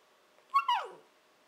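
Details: Shiba Inu puppy Nanako, 14-15 weeks old, indoors "talking" to her owners, a habit that signals she wants breakfast or dinner; two quick descending whiny yelps, harmonic and high, the second longer and sliding downward.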